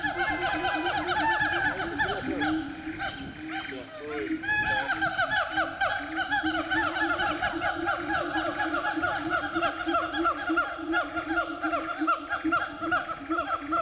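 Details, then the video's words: A Sumatran siamang in the interior forest of Aceh gives loud, ringing whoops in rapid series, rising and falling in pitch without pause. "Siamang Sumatera"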